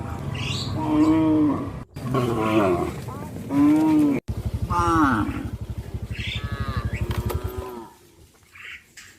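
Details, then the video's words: Cattle from a traditionally bred herd walking towards a field, several drawn-out, harmonic moos overlapping one another, with a steady low pulsing rumble underneath and a few faint high chirps. "A herd of cows walking towards a field of traditional cattle breeding herds-the sound of cows"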